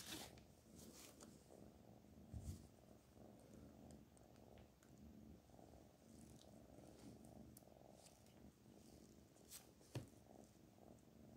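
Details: Black Panther, a pet cat, gives a low continuous purr indoors, with occasional brief taps and rustles.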